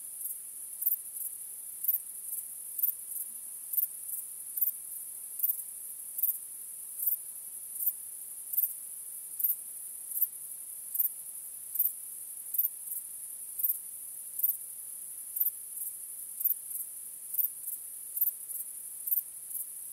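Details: Crickets chirp through a starlit night: a constant, piercing high-pitched drone with regular accented pulses about once per second, keeping a steady beat across twenty seconds.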